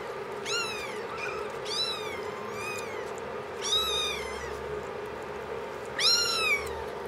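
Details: Five-week-old kittens recorded on 7 March 2010 giving high, arched mewing calls, about five short meows rising then falling, spaced irregularly across seven seconds over a steady low indoor hum.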